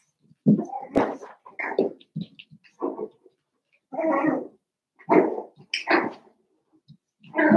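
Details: Cavalier King Charles Spaniel puppies, seven weeks old, in a puppy pen in the middle of a family home: a busy string of high yips, whines and short barks, some overlapping, following each other every half second or so.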